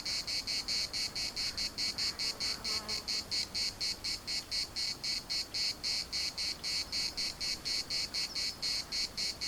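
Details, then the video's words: Larnaca municipal park cicadas in Cyprus produce a continuous, high buzzy chorus pulsing about four times per second, with a brief faint chirping sound near the start. "CICADAS at the municipal Park Larnaca"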